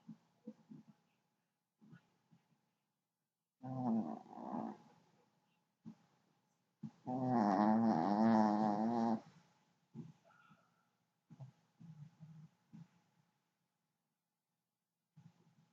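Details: Pet dog snoring indoors: irregular rough, rasping breaths, some short and soft, others long and loud with a buzzy vibrating quality, separated by quiet pauses.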